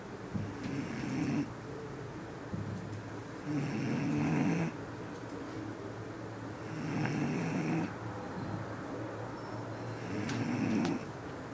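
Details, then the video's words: Bull Terrier named Soleil snoring, very tired after training: slow rasping snores about every three seconds, each a long low rattling breath with fainter breathing between, in a quiet room. "Soleil Bull Terrier - roncando"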